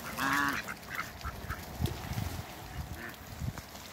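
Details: Mallard pair at a waterbird farm in Skydra, Greece, giving one loud, nasal quack at the start, then a few softer, shorter quacks among low rumbling and bumping noises.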